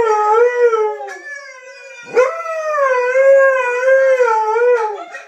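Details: Howling Siberian husky greeting his brothers on sight: a short falling howl, a brief break, then a longer wavering howl that rises and dips in pitch, full of harmonics.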